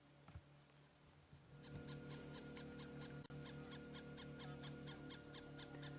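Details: Bush baby alarm calling from far away on a sunset safari drive, seen only by its eyeshine; after a quiet start comes a fast, steady run of sharp chirps, two to three each second, over a constant low engine-like hum.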